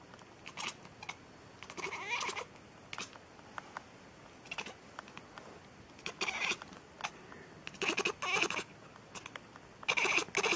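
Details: Domestic cat meowing repeatedly in short, harsh, nasal bursts, some bent upward then down, coming in irregular clusters every one to two seconds against a quiet indoor background with soft rustling between calls.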